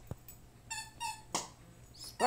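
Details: Sparkles, a 4-month-old Mini Bull Terrier pup, and Princess, a 15-month-old Toy Fox Terrier, together; two brief, clear, high whimpering yips about a third of a second apart, followed by sharp scuffling and knocking bursts.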